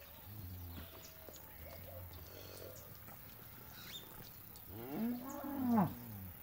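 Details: One-month-old calves on a farm in El Salvador. Faint low lowing early on, then two louder drawn-out bawls near the end that rise and fall, the last strongest, over quiet rural background.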